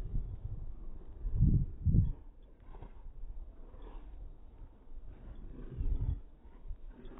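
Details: Two Irish Wolfhounds, Sunny and Naomy, romp in fresh snow; deep, rough growling bursts come in two strong pulses near the start, then fainter low rumbles and huffs, with another swell of growling toward the end.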